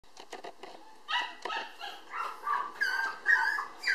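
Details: Female Toy Poodle puppy born 19 July, weighing 800 g, described as affectionate and fond of people, indoors; a run of thin, high whimpers and squeaky yips, first short and clipped, then longer rising-falling whines repeated every half second or so.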